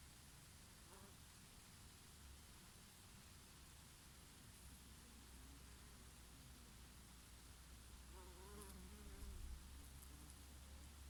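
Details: Bees foraging on oregano flowers in summer, a steady low droning hum with layered wingbeat tones, a brief higher buzz near eight seconds as one flies close, over a soft summer breeze.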